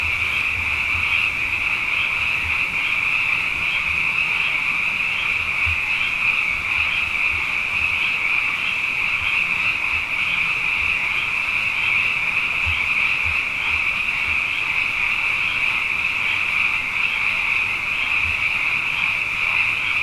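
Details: Frogs in great numbers after two wet years fill the night with a constant high, pulsing chorus; faint low rumbles, like distant engine hum, come and go underneath.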